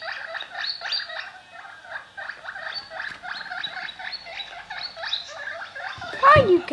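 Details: Pet guinea pig making a run of noises: steady rhythmic series of short squeaky, buzzy pulses, about three per second, continuing for several seconds, ending with a louder sliding sound as a person begins speaking.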